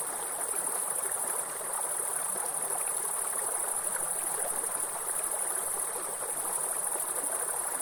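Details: Continuous thin, high buzzing of grasshoppers in woodland by a waterfall, the tone steady with slight flickers in strength, against a dense roar of running water.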